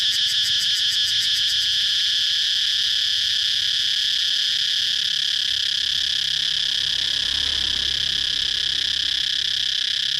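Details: Cicada starts with rapid rhythmic pulses of high buzzing, then settles into a constant loud shrill whine that continues unbroken, with a faint low hum underneath.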